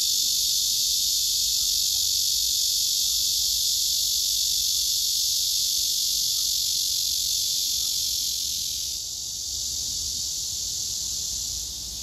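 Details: Cicada male serenading a female that retreats backward, rejecting him; continuous shrill buzzing hiss that holds steady, softening slightly about three-quarters through, then carrying on.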